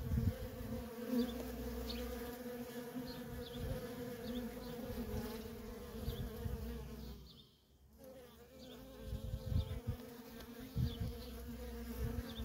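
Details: Feral honey bee colony with worker bees coming and going nonstop: a steady humming buzz, briefly dropping quieter midway before the loud drone and close fly-bys return.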